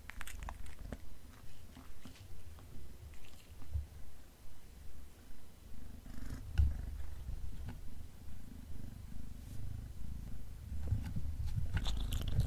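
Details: Black pet cat indoors, eating beef snacks, purring low and steadily in rhythmic pulses roughly twice a second, with a few sharp clicks and crunches of chewing scattered through and a louder crunch near the end.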